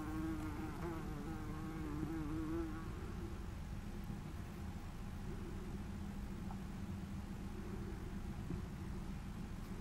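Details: Red-tailed bumblebee (Bombus lapidarius), recorded 20 July 2018, hums with a low, steady droning wing buzz that wavers slightly in pitch.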